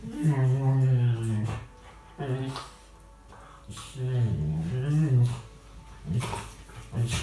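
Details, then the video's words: Indoors in 2018, chatty rescue dog Tia talks while playing with Sandy: a series of low, wavering moan-growls in bursts of one to two seconds, separated by brief pauses, with background noise and some human sound. "Tia being chatty with Sandy"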